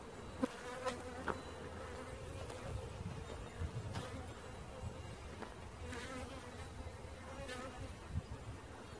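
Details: Swarming honey bees during a swarm catch: dense continuous buzzing hum with low rumbling and scattered sharp clicks and taps.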